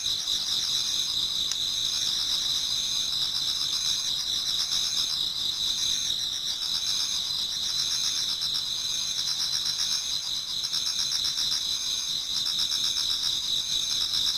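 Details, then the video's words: Before dawn in autumn, a Japanese garden full of singing insects: continuous high, ringing stridulation from numerous callers, steady in loudness, with fine rhythmic pulsing running through the whole stretch. "Autumn Insects voice Towards dawn"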